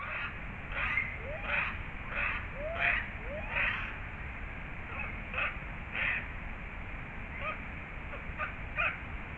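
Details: Japanese red fox (Vulpes vulpes japonica), wild, recorded in Azumino, Japan, on 31 December 2023, gives a series of harsh, raspy calls repeated roughly every second.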